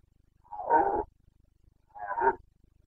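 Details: Breeding-season roar of a Carpathian red deer stag in Bucovina, 29 September 2022; two moderate hoarse bellows about a second apart over a faint low rumble.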